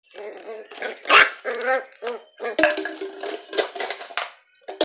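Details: Dachshund in a standoff with another dog: a busy stretch of yapping barks and whiny, tonal yelps, nearly continuous, with dogs' voices overlapping and a final sharp bark at the end.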